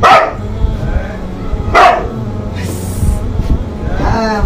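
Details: Two loud, clipped dog barks about two seconds apart, separated by quieter background noise, with a faint hiss and a brief later sound trailing off.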